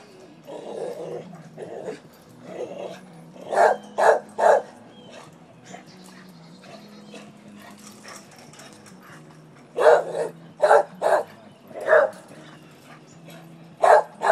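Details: Bonnie the dog responding to being asked questions: soft grumbling vocalizing at first, then loud sharp barks in quick clusters of two or three, repeated several times across the recording.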